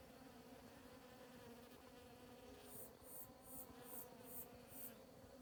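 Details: Hundreds of Mexican bees at work on a morning in the Sierra de Huautla Biosphere, Morelos, Mexico, gathering nectar and pollen from grass flowers: a steady, low, layered buzzing hum, with faint, high, hissing pulses repeating about twice a second from midway.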